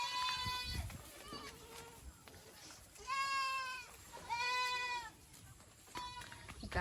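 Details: Goat of the Boer breed on a Nepali village farm crossbreeding local stock; a series of shaky, nasal bleats, several loud ones spaced a second or so apart, with human talk faintly underneath.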